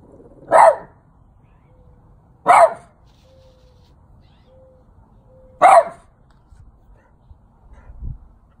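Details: Elderly French Bulldog, twelve years old, barking at a statue of St. Francis. Three abrupt, gruff single barks come roughly two and three seconds apart, with faint soft sounds between them.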